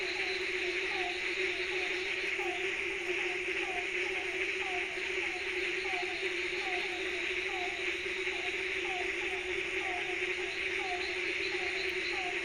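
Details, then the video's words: Night-time frog chorus, many callers together: brief downward-sliding croaks come in quick runs over a continuous high buzzing wash and a steady low drone, unchanging for the whole stretch. "Frog Croak Sound Effect | Night Ambience"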